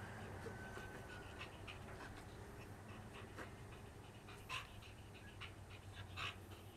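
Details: Pet dog panting in uneven breathy bursts, with a few sharper louder exhalations and faint human voice in the background over a steady low hum.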